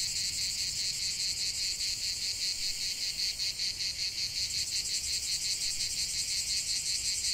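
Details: Cicadas in full song outdoors: an unbroken, shrill rasping buzz made of quick regular pulses, loud and even for the whole stretch.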